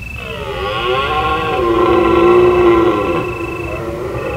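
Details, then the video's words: Under a full moon in autumn Provence, a deer roars during the rutting month: a loud, hoarse, groaning call that swells and sags in pitch for about four seconds, while crickets keep up a continuous high-pitched trill behind it. "Deer Calling under the moon"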